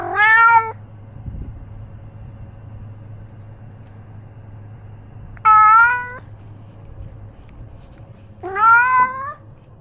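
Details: Three clear meows from Ros, a roaming pet cat carrying a camera, each short and slightly rising, separated by several seconds of quiet low hum.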